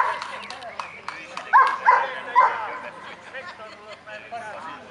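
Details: Kuvasz at the 5th Kuvasz club show in Kishegyes (Mali Iđoš), 2017: three short, sharp barks close together in the middle, over steady human chatter and crowd noise.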